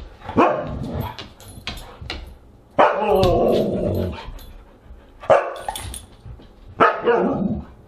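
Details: Siberian husky at a dinner gathering, August 30, 2022. Sharp bark bursts open the recording, followed by a long, drawn-out, wavering howl-like bark, then two more loud yelps near the end.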